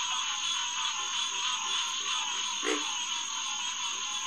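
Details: Dense night chorus of green tree frogs at Headquarters Pond, SMNWR, June 2, 2021; overlapping high nasal calls blend into a steady roar, with faint low pulsed croaks and one brief louder note near the middle.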